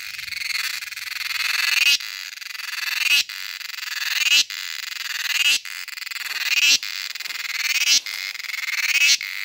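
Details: Cicada singing in summer in Kerala: loud, high, buzzing phrases that swell and rise in pitch. Each phrase lasts about a second and a quarter, with brief breaks between them in a steady series.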